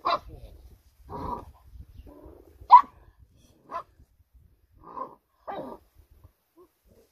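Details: Rhodesian Ridgeback at a breeding kennel giving short, sharp barks and yips in scattered bursts, about seven in seven seconds, with one louder bark near the three-second mark and faint low rustling between.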